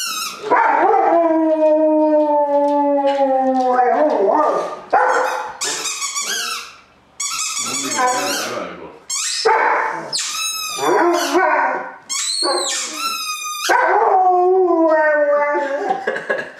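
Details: A Rottweiler-Boxer mix dog "sings", howling in long, wavering tones that slide up and down in pitch.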